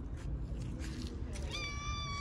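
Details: A fluffy, plump stray cat being petted on a street outdoors gives a single drawn-out meow near the end, steady and slightly falling, over low background rumble and a man's soft talk.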